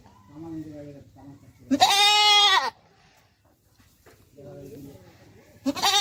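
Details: Beetal goat mother and her recently born kid on a Haryana farm; one loud harmonic bleat of about a second, a second bleat beginning at the end, with people murmuring in between.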